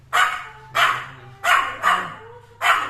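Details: A Pomeranian gives five short, sharp, high-pitched barks at uneven intervals while staring at something unseen that its owner suspects is a ghost.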